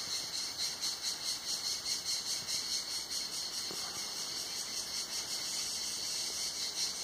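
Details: Chorus of cicadas in hot summer at Tenuta Zimarino, recorded under a mulberry pergola; a continuous high-pitched rasping drone throbbing in regular pulses roughly every half second, with one brief faint chirp midway.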